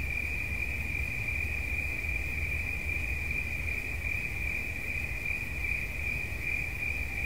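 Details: A cricket's continuous shrill trill, level and unwavering from start to finish, with a dull low hum running beneath it.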